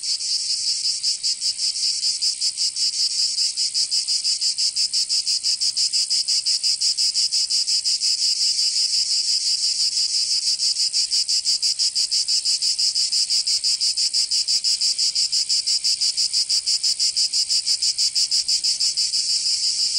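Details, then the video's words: Provence cicadas in summer produce an unbroken, piercing high-pitched drone made of fast, even pulses several per second, sustained throughout without pause or other sounds. "Canto Cigarra 🦗 [ Escuchar les cigarras en verano 10 H]"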